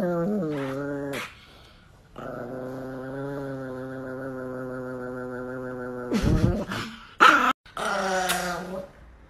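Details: Angry pet Chihuahua Nikki utters a long, steady, tonal growl-whine held for several seconds after a few short yelping notes, ending in louder bursts as a person speaks playfully to it indoors.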